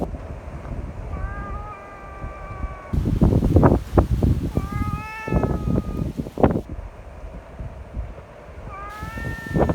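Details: Community cats gathered together in strong wind, affectionate and wanting to be petted; several clear harmonic meows, some long and level, others rising, over heavy low wind rumble and rustling thumps.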